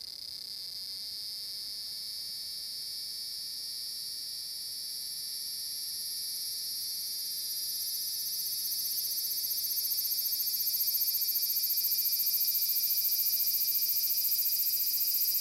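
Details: Large brown cicada singing at Magarikawa, Furuta, Nishinoomote City, Tanegashima, on 30 July 2022 in summer: a steady, high, sizzling drone that swells louder after eight seconds, with a faint pulsing shimmer, recorded among natural surroundings.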